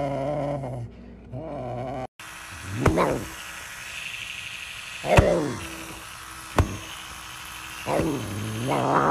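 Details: Hungry serval demanding food: a deep harmonic drone at the start, then after a break several short, rising and falling cries, spaced a few seconds apart, each ending in a higher, wavering tone.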